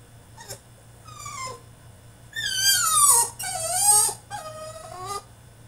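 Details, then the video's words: French Bulldog throwing a tantrum in his cage: a run of high whines, some sliding down in pitch, loudest in two long drawn-out cries near the middle, with short yelps before and after. "FRENCH BULLDOG THROWS TANTRUM IN HIS CAGE!!"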